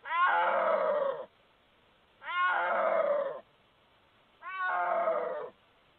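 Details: Snow leopard recorded in Gilgit-Baltistan, Pakistan, uttering three long, rich-toned moaning yowls, each opening with a quick upward rise before levelling off, spaced about two seconds apart against a quiet background.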